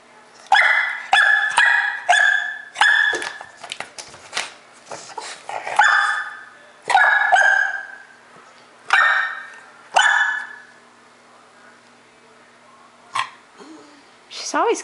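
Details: A 4-month-old female English Bulldog puppy, annoyed at a bulldog in a window, gives sharp, high barks in quick bursts, pausing between volleys.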